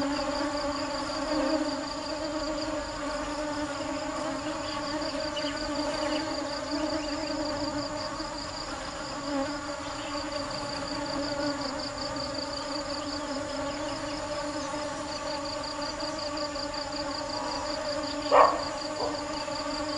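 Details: Bees at work looking for nectar produce a long, unwavering low hum; a fast pulsing high chirr continues behind it and a sharp knock sounds late on.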